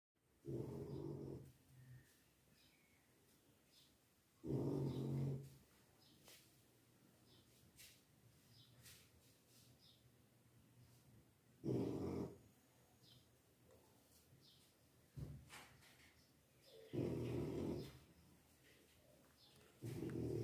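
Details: French Bulldog snoring, with deep, rough, rattling breaths that come in loud bursts every four to seven seconds, separated by quiet stretches.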